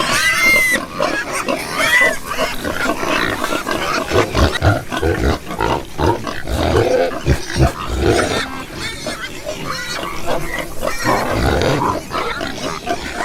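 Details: A group of pigs gives a dense run of low, rough grunts broken by brief high squeals, the snorting rising and falling in loose bursts.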